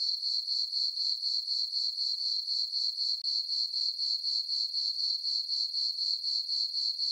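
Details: High, tinkling cricket chorus on a calm summer night over a farm meadow, beating in steady rhythmic pulses near four per second, clean and without other noises.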